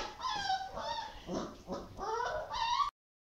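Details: Dogo Argentino dogs at a professional breeding kennel, giving high, tonal whimpers and yips that bend up and down in pitch. Several come in quick succession over about three seconds, broken by a short stretch of lower, rougher sound.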